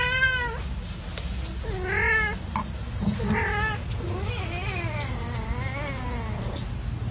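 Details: Cats playing together call in a run of meows: several short arched mews in quick succession, then softer wavering, overlapping cries. Low hum persists underneath.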